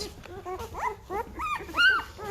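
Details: Five-day-old Great Bernese pups, a Great Pyrenees by Bernese Mountain Dog cross, letting out short, sliding squeals and whimpers, a few separate cries ending in one sharper high squeak.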